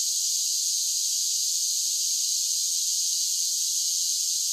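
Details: Summer cicada chorus, a steady shrill hiss-like buzz with no breaks, unchanging in loudness throughout and with nothing else audible.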